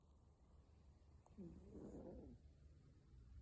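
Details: Chihuahua snoring while asleep, one drawn-out raspy snore of about a second against soft room hiss.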